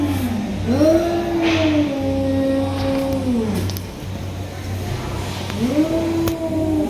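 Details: During a tiger cat fight, a low, moaning yowl is held for about three seconds and then falls away. A second rising wail starts near the end, over a constant low hum and faint background noise.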